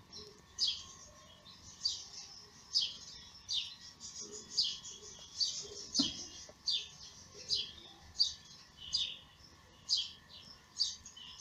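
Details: Thin, high-pitched cries from newborn kittens born in May to the mother cat Lady Ginger, who feeds them; short squeaks come steadily about every three-quarters of a second, with a soft constant hum beneath.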